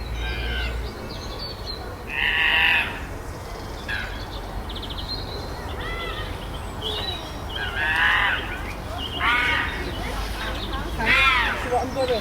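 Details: Chester Zoo chimpanzee group on Chimp Island, with fights and displays after a new baby arrives; harsh, harmonic screaming outbursts come in irregular clusters, some sharp and rising, separated by quieter stretches with faint chatter and hum.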